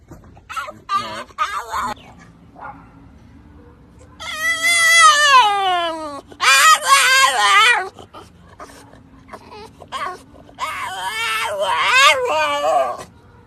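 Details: A French Bulldog out walking with its owner gives high, squeaky whines that slide downward, with short yips in between.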